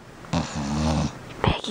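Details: Pet dog indoors making its 'piggy noise' on cue as its owner repeats 'piggy girl': a low, pulsing, snore-like snort lasting about half a second. A woman's voice speaks over it.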